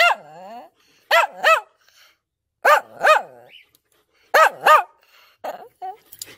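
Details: Excited German Shepherd barking while annoying its puppies: a whining, falling yelp opens, then loud, ringing barks in quick pairs about every one and a half seconds, ending with shorter broken yips.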